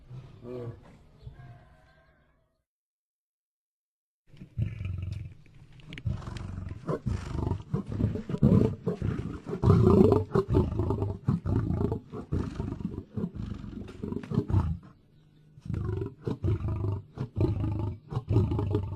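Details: Lion producing a long, continuous, rumbling roar and growl sequence, deep and grainy with rapid pulsing texture, after a quiet opening with a faint low sound and a short pause.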